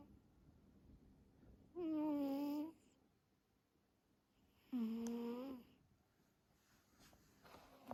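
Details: Domestic cat Karlos sweetly asleep indoors in an active sleep phase, snoring and purring: two drawn-out, nasal, slightly wavering tonal breaths about three seconds apart, the second dipping lower, with quiet room hush between.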